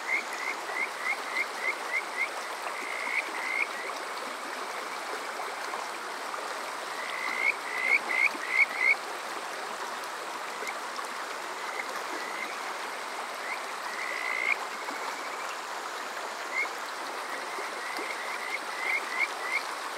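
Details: Calls of the Kajika frog on a summer night, Water Park Shirayama, Yokoze, Chichibu, Saitama, Japan, recorded on a TASCAM DR-05X: several separate bouts of fast, upward-sweeping whistled notes in short series, divided by pauses, over continuous stream noise.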